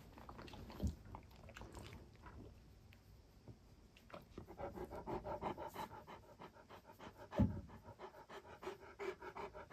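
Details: Great Pyrenees dog inside a room at home, breathing softly at first, then settling into steady, fast, even panting from the middle onward, with a single knock-like thump partway through.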